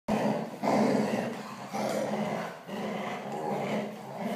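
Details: Labradors playing together, rough play growls; a continuous low, rumbling growl runs through with brief pauses, and a man's voice comments in Russian.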